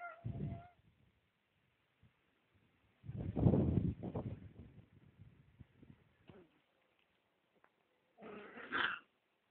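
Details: Husky puppies; a short tonal whine opens, then noisy rustling bursts, and a brief higher squeal near the end, with quiet gaps between.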